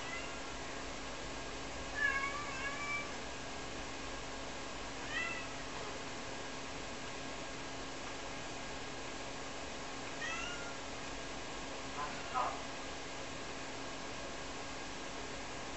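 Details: Rara, a two-year-old Ragdoll cat indoors, meows to call her owner after losing sight of her during laundry in a small home; several harmonic meows near 2, 5, 10 and 12 seconds over a steady fan-like hum.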